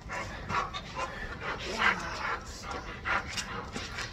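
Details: Chow Chow during tug play training: rapid breathy pants, repeated bursts just under once a second, with brief higher whiny tones over a rustling, scuffling background.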